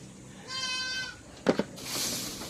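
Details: Summer goat, kept where it is given a salt and molasses drink: a single steady, nasal bleat of about half a second, followed by two sharp knocks and a burst of hissing noise.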